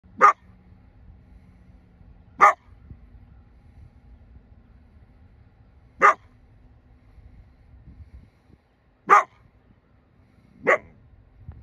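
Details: Single coyote barking, five sharp, loud, harsh barks spaced two to four seconds apart over a quiet background with faint low rumble.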